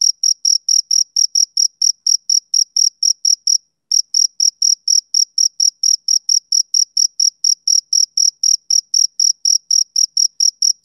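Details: Rhythmic male cricket chirps of summer evenings: bright, high, evenly timed pulses about four per second, broken by one brief silent gap near four seconds before the steady series resumes.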